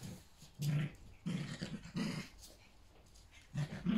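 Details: Yorkshire Terrier puppies at play with their mother inside a house: short, deep growls come in separate bursts with quiet gaps, four or five rumbles in a few seconds.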